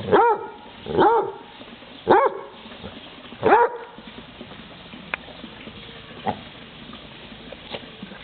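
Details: Basset Hound going after a frog, four strong harmonic barks in the first half, then only faint clicks and rustles as the barking stops.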